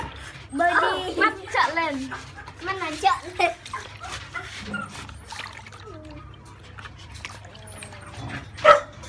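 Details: Month-old French Bulldog pups being bathed and made to paddle in warm water give a run of arched, quavering yelps and whines over the first few seconds, mixed with Vietnamese speech and splashing, then quieter sounds and a sharp final knock.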